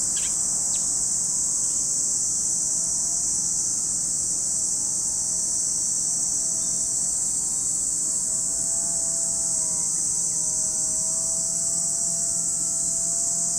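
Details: Cicadas at Lake Kamo, Sado City, Niigata Prefecture, Japan, produce a continuous high sizzling drone, joined by a wavering hum of stacked mid tones and a couple of sharp chirps near the start.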